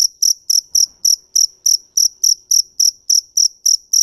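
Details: Rapid, regular high chirps from a field cricket (dế mèn), roughly three to four each second without pause, against near silence with faint low taps.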